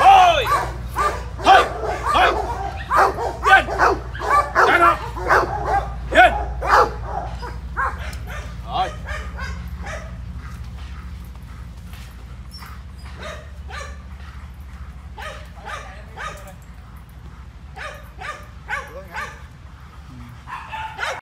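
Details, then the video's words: German Shepherd attacking on command during training: a burst of loud, rapid barks over the first seven seconds, then quieter, spaced barking and scattered yelps with voices in the background. "Chó Becgie Tấn Công Theo Hiệu Lệnh"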